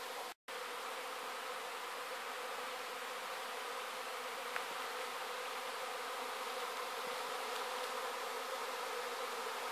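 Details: Swarm of honey bees pouring out of a backyard hive in Sydney, 2012: a dense, continuous droning buzz filling the air, steady and unbroken apart from a brief gap near the start.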